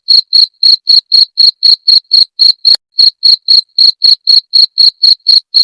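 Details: Jangkrik genggong cricket chirping, a call meant to repel rats: sharp, shrill pulses about four per second, evenly spaced, with one short pause midway, clean and free of background noise.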